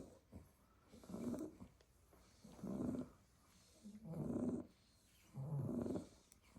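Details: Staffy puppies, Staffordshire Bull Terriers, sleeping in a heap in a basket after playing in the garden all day; four rough, buzzing snores spaced about every one and a half seconds, with a soft squeaky tone inside each.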